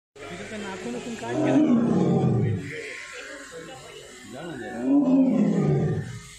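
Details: White tiger giving two deep, rough roars, each swelling for about a second before fading, with a man's voice heard in the background between them.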